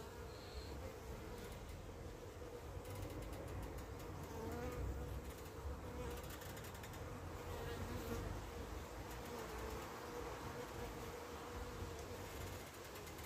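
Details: Steady buzzing of Carniolan honey bees while the queen, back from a short orientation flight, hesitates before entering; a long, unbroken low drone with faint, wavering tonal lines and occasional swells.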